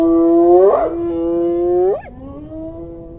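A hyena calls with a long, rich, howl-like tone that swells upward early on. Near the end the voice jumps briefly higher, then settles into a lower, steady note that trails off.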